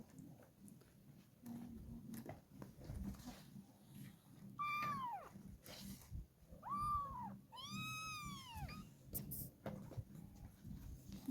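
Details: Kittens meowing. Three drawn-out, arching meows sound about two seconds apart, the last one louder and longer, over a constant murmur of voices in the background.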